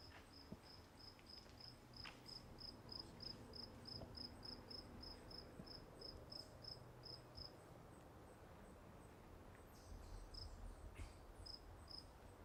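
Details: Crickets at Walden Pond: a steady train of short, high chirps repeated about three times per second for most of the recording, fading out near the end, over a low rumbling background with a few faint clicks.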